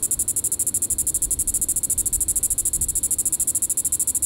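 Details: Diceroprocta vitripennis cicada at Sand Hills State Park, Kansas, calling in the evening on July 20, 2014: a clean, high-pitched pulsing buzz, about nine throbbing pulses per second, steady and unbroken.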